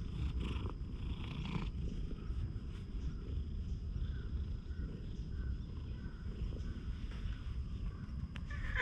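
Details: Friendly stray cat that has lost one eye, filmed up close at night on a GoPro HERO8. A steady, low rumbling purr runs through the whole recording with little else heard.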